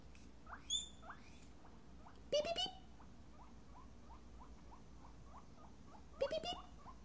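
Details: Pet guinea pig squealing back at a person who beeps at her indoors. Two bursts of shrill, rising, harmonic wheeks near 2.3 and 6.3 seconds. Soft, short beeping chirps repeat between them.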